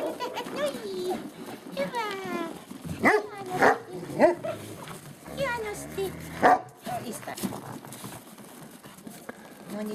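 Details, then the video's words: Great Pyrenees puppies yipping and barking: curved, whiny yelps early on, then sharp barks in a cluster around the middle. A person talks to them in Finnish throughout. "great pyrenees puppies"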